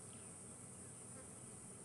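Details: Very active cicadas on a hot, humid afternoon safari drive in January give a continuous shrill buzz at one very high pitch without pause, over a soft low rumble of faint air movement or vehicle engine.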